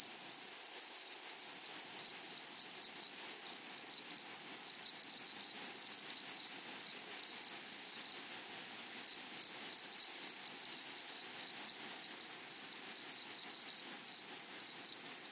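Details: Grasshoppers singing in flowery meadow grass: a constant thin shrill tone with busy, rapidly repeated scraping pulses that grow denser and louder in the second half, no other animals clearly heard.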